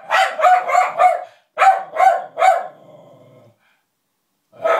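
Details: Barking at a disliked puppet, Lulu the dog lets out six rapid, sharp barks in under three seconds, then a low fading rumble, a second of silence and one more bark at the end.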